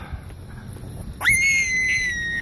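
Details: An adult domestic rabbit, raised in a wild-colony-style pen rather than as a pet, gives a shrill, sustained distress scream after a quick upward swoop while being recaptured after briefly escaping.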